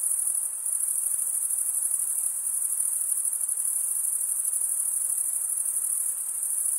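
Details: Male crickets stridulate in a dense, seamless high-pitched trill, bright and sizzling, holding steady with a small dip near the start; only a soft background hiss accompanies the chorus.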